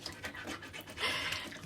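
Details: Siberian Husky panting as it drinks after a walk on 31 May, plunging its whole muzzle into the water; quick breathy pants mixed with wet lapping and splashing.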